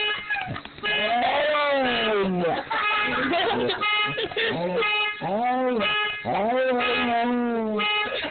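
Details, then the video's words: Dog howling in response to a car horn: a run of long, wavering howls that rise and fall, several in succession, over a steady tonal horn sounding underneath. "Dog howling at car horn"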